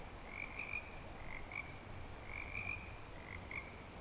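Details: Frogs back in breeding season at Clearwater Commons, several overlapping high trilled croaks in short bursts roughly every second, with a low steady rumble of background noise underneath.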